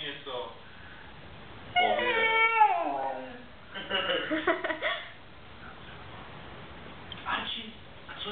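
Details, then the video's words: Siberian Husky vocalizing in conversation with its owner: one long, drawn-out, tonal howl that slides downward over about a second, followed by the owner's chattering Czech speech and a later short vocal burst. "siberian husky says... :D"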